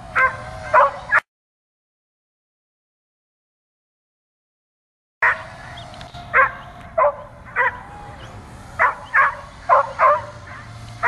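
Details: Dog jumping and barking at a drone flying around; a few barks, a sudden silent gap of about four seconds, then a renewed run of rapid sharp barks, some in pairs, over a steady whine.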